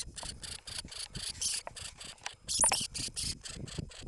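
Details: A Norway lemming (Lemmus lemmus) gives a rapid series of harsh, rasping squeaks, about three each second.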